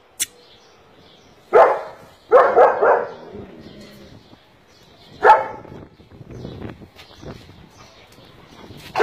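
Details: Male German Shepherd with a black face and double coat gives a few scattered deep barks, one a rapid triple bark, separated by quieter pauses with faint background noise and a soft high click at the start.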